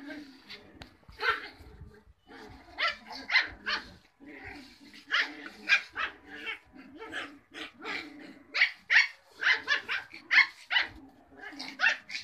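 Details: Cocker Spaniel puppies yelping and whining in a dense, overlapping chorus of short, high, harmonic cries, rising and falling in quick bursts with brief pauses throughout.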